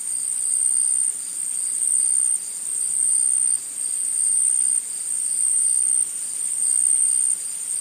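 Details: Unbroken shrill trilling of forest insects, very high and steady in pitch, with volume surging and easing every one to two seconds throughout.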